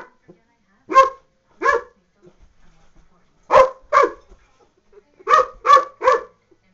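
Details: Pet dog freaking out at an empty salsa jar set on the floor after spotting it on the counter; loud, sharp barks in pairs and a triple, separated by brief pauses.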